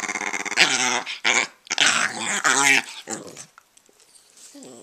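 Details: Italian Greyhound being teased: harsh, raspy snarling growls in rough bursts over three seconds, fading to quieter grumbles, with a person talking to the dog.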